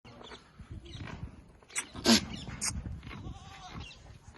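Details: A castrated two-teeth goat on a goat farm, about 39 inches tall and 75 kg, gives short, nasal bleats amid scuffling and background farmyard noise.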